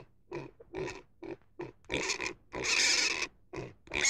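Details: Pig grunting in short repeated bursts, several per second, building into a longer harsh squeal near the end, with no other clear sounds.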